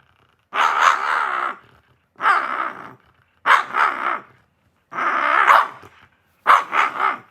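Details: Shiba Inu giving five drawn-out, wavering grumble-howls, each lasting about a second, with the pitch wobbling up and down. Short silent gaps separate them, and the room is otherwise quiet.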